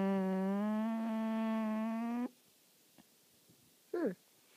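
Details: Corgi told to speak, giving a long steady whining vocalisation with rich harmonics lasting about two seconds, then a short rising-falling yelp near the end, indoors in a small room.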